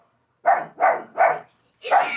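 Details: A pug gives three quick sharp barks, then a fourth after a short pause, barking at a Chucky doll.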